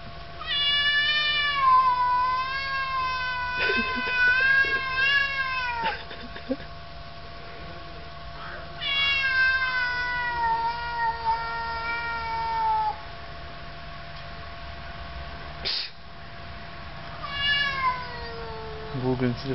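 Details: Quarrelling domestic cats: three long, wavering yowls, each several seconds long with dense harmonics and slow tremolo, separated by quiet gaps, one brief thump midway, a short cry at the end.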